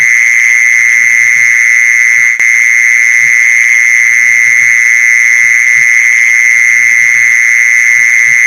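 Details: Mole cricket sound for luring mole crickets: a continuous, even, piercing trill running without a break, one brief click partway through, faint low patters in the background.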